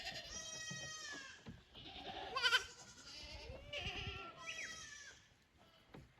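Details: Goat kids on a visit to an unfamiliar upper pasture at Yoshigake's handmade goat farm, 15 May 2024. A run of overlapping, wavering bleats, some high and nasal, follows one after another with barely a pause.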